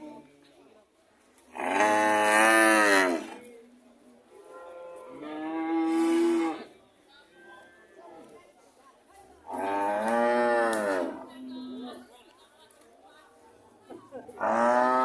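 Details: Cows mooing: three long harmonic moos of about a second each, spaced several seconds apart, with a fourth beginning at the end; quiet gaps between.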